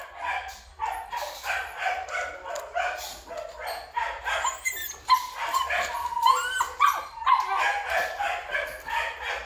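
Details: Black Belgian Malinois dogs, including a male, give rapid, uneven yips and short barks. The sharp bursts overlap each other, with a few high squeaks between them.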